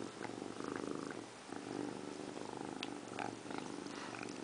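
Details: Purring from a pet cat named Indiana Piano Rabbit, a female washing herself in a bathroom sink; low throbbing purr cycles repeat steadily, with occasional small clicks and licking noises.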